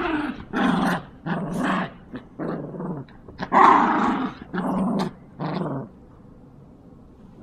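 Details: Yorkshire Terriers playing tug of war: a run of rough, throaty growls in bursts roughly half a second long, one louder snarling peak near the middle, then a quiet tail.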